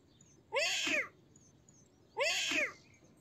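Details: A pair of loud, half-second kitten meows, each a strained, arching cry with a rough edge, about one and a half seconds apart over low background hiss.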